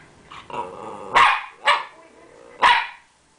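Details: Rat Terrier giving its playful attention-seeking bark while wagging its stub of a tail: three sharp, loud barks about half a second to a second apart, after softer low grumbling sounds.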